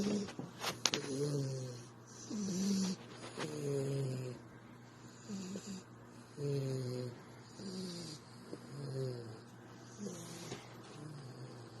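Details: Female dog asleep and snoring during a cuddle, a steady series of nasal, whistly snores with a slight wheeze, about one every second, with light rustling of fabric nearby.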